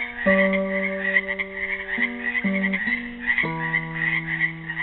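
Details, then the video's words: Frogs trapped in a pool at Helix, Oregon, on Earth Day 2016, calling in a dense, steady chorus of high pulsing croaks while a classical guitar plays sustained picked notes beneath them. "GUITAR AND FROGS SINGING"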